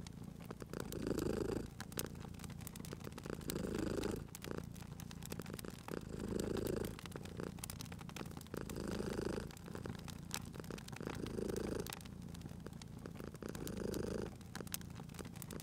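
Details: Cozy fireplace scene with a purring cat; slow, rhythmic purr swells arrive about every two and a half seconds, low and rumbling, accompanied by continual popping and crackling of burning wood.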